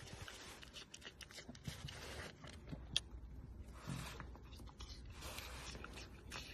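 A red panda makes wet, irregular smacking and clicking sounds in quick bursts.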